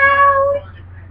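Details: Radar, a pet cat, being silly in a tiny box, gives one loud, clear meow lasting about half a second, steady then slightly falling with rich harmonics, over a low steady hum.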